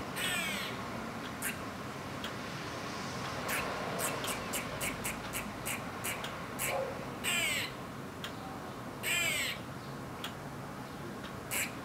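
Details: Eastern grey squirrel giving alarm calls: a series of sharp, broadband kuk barks in irregular bursts, several with raspy, wavering quaa-like drawls, over a steady background hiss.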